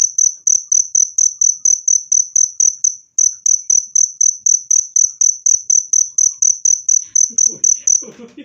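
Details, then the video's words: Cricket chirping loud and clear, meant to drive rats away naturally: rapid, evenly spaced high-pitched pulses, about four per second, running steadily for eight seconds with a brief gap near three seconds, faint rustling noise entering at the end. "SUARA JANGKRIK PENGUSIR TIKUS jernih dan keras"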